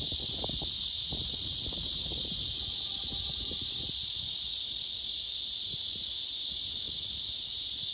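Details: Male blackish cicada singing its courtship song toward an unresponsive female below; a dense, unbroken, high-pitched buzzing hiss holds steady throughout, with faint low rustles underneath.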